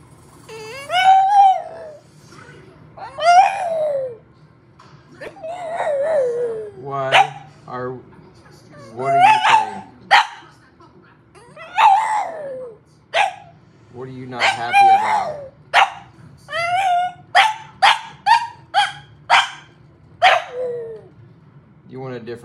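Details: A French Bulldog, unhappy, grumbles and whines in a string of rising and falling, talk-like complaints.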